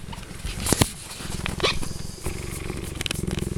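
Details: A very happy, young male cheetah purrs in a deep, steady, rapidly pulsing rumble, with people talking nearby.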